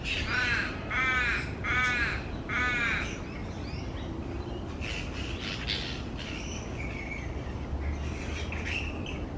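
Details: Grey-headed flying foxes, fruit bats hanging upside down in a large, noisy colony on tree branches: four harsh, ringing squawks at the start, then fainter overlapping chatter over a constant rushing background.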